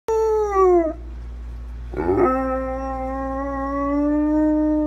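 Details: A Weimaraner fussing because it does not want to get up gives long, wavering, overtone-rich howls: the first sags and breaks off, then after a brief yip a steadier moan rises slightly and holds.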